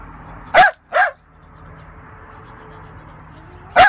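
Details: A Lakeland Terrier barks while playing: two sharp, high barks half a second apart, a long pause with faint background hiss, then a third bark at the end.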